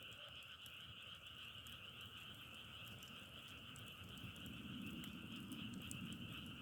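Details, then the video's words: Steady chorus of many frogs forms an even, buzzing two-tone drone, with scattered pops from a burning log fire and a rising low rumble in the last seconds. "자연의소리 장작타는소리=개구리소리"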